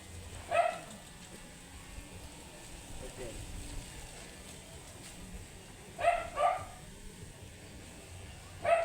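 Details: Sparse barks from a matted Shih Tzu angry at being groomed: one sharp bark, a long quiet gap, then a quick double bark and a final single bark.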